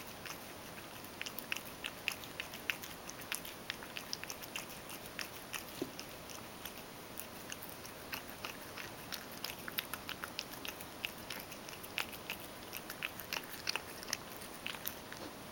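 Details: A Ragdoll cat named Mojio happily eats crushed dry food moistened with hot water. Dense, quick crunches and sharp chewing clicks run throughout, sometimes in rapid bursts, against a faint hiss.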